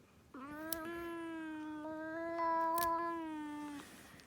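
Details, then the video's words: While having its nails done, a cat gives one long, even, moaning cry lasting over three seconds, harmonic and slightly swelling in the middle, likened to a pig noise. Light handling clicks come from a quiet room. "the cat makes a pig noise , while getting a trim !"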